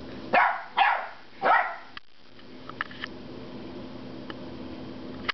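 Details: Ten-week-old puppy Loki, usually quiet, barks in frustration at his squeaky rubber pig: three quick harsh barks in the first two seconds, then near silence with faint clicks and taps indoors.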